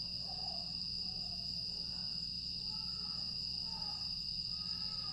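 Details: Grass insects on a quiet night in Aewol, Jeju, 25 August 2022: a steady, unbroken high-pitched shrill hum holds throughout, while faint, soft lower whistled notes drift in and out beneath it.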